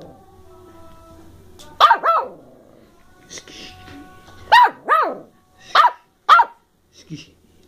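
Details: Molly, a 10-week-old female Bedlington Terrier puppy of working strain from the hills of South Wales, in playful mood on 14 December 2013: six short, high, arching yappy barks in two pairs and a trailing single, with faint human noise between.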